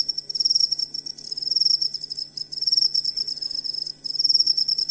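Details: Cricket song meant for schooling songbirds; high, shrill pulsed trills arrive in bursts of about a second, separated by brief pauses and quieter stretches.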